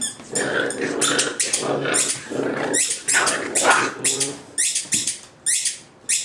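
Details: Playful Boxer pups, three 9-week-old littermates and 13-week-old Edna, in a small room; steady grumbling growls mixed with rapid high yips and squeals, near-continuous, then scattered scuffling clicks.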